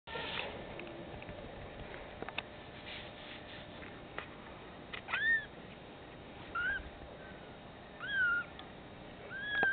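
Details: Cat meowing indoors: three short, clear meows with a curved, falling-then-rising pitch, each about half a second, heard around five, six and a half and eight seconds in, over a steady low hiss, with a faint start of another at the end.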